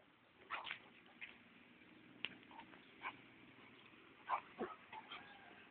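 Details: An inexperienced pet-shop Basset Hound reacts to a beer can with a series of short, gruff woofs and snorting grunts at irregular intervals.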